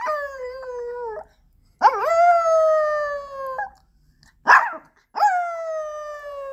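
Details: Ponki, a pet Pomeranian, howls like a wolf indoors after its owner leaves home: four long, steady, harmonic-rich wails, some opening with a rising yelp and holding a level or slowly falling pitch, separated by short silences.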